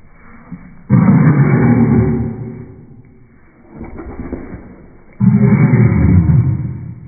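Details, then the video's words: French Bulldog throwing a tantrum indoors: two long, loud, low throaty groaning grumbles, each lasting over a second, separated by a quieter stretch of softer huffing and rumbling. "My French Bulldog’s Tantrums"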